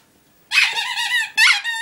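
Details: Lola, a Border Collie searching for her chicken indoors, gives two high, squeaky whines, the first long and wavering, the second shorter and rising, in a small room.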